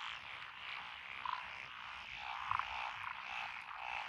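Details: Frog chorus from lotus rice paddies beside a country road in Echizen, Fukui, Japan, 12 June 2021, with Japanese tree, pond, wrinkled, Schlegel's green and forest green tree frogs calling; a dense steady trilling wash with a few louder croaks standing out.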